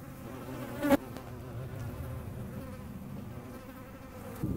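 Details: Hornet in flight, a low droning buzz with stacked harmonics that rises and falls, broken by a sharp click near the first second over steady outdoor background hum.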